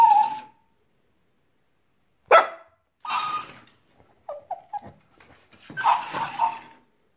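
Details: Pepsi, a pet French Bulldog, talks back to a talking hamster. Short whining, grumbling vocalisations and one sharp bark-like burst, then a few brief squeaky notes and a longer grumbling whine, separated by silent gaps.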